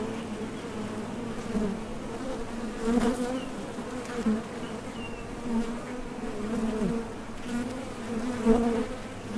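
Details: Honey bees at the entrance of a top bar hive, leaving and landing as they fly out to collect nectar; a dense, steady hum with strong low tones, swelling briefly as individual bees pass close.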